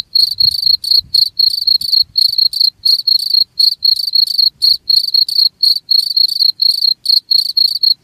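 A cricket chirps steadily, a pure high-pitched pulsed trill repeated several times a second.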